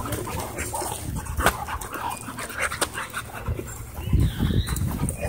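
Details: Dog panting while playing at a dog park and climbing onto a man's back; quick breathy huffs come in uneven bursts, stronger toward the end, with people talking and scattered knocks and rustles around.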